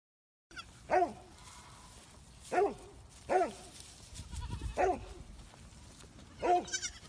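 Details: Baby goat calling with five short, loud, wavering bleats spaced about one to two seconds apart, each a bright nasal cry, over a low background rumble.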